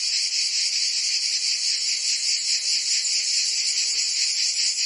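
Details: Summer cicada chorus in Provence, France, a steady high shrill buzz with soft, uneven pulsing throughout, unbroken and bright, nothing else audible.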